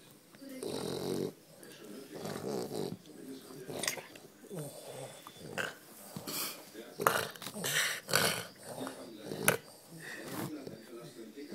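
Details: French Bulldog making funny sounds: irregular snorty grunts and low growly grumbles in uneven bursts, some breathy and noisy, with human speech mixed in throughout.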